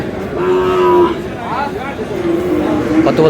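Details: A bull calf, Friesian or crossbred, at Aftabganj haat in Dinajpur, Bangladesh, gives a short, steady, low moo. A second, wavering call follows, with market voices all around.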